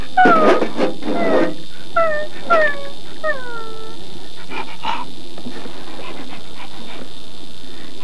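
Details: Alaskan malamute giving a run of about six drawn-out, falling, whining howls over four seconds, each sliding down in pitch, followed by quieter scattered noises and low background hum.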